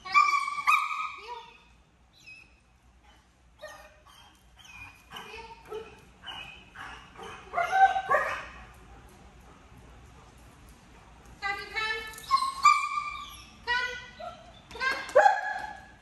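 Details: A 10-month-old German Shepherd in off-leash obedience training in Georgia, described as extremely vocal, gives bursts of high, whining yelps and short barks with quiet gaps, while a man speaks in the background.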